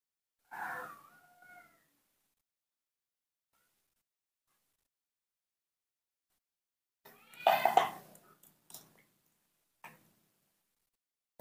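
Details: Newborn baby monkey kept and hand-reared at home, calling to ask for milk: short tonal whimpers at the start, a long silence, then a louder, rough, harmonic-rich cry near the eighth second followed by a few soft clicks.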